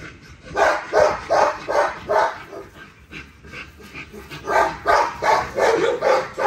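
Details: Nyla, a female XL ghost tri American Bully, barks during an exercise workout. Her sharp, mid-pitched barks come in a steady run of about two to three per second, with a brief lull near the middle.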